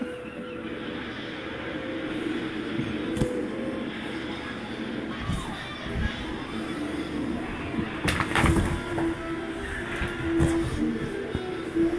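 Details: Music and indistinct speech run over steady urban background noise, with a few sharp knocks and no clear animal voice.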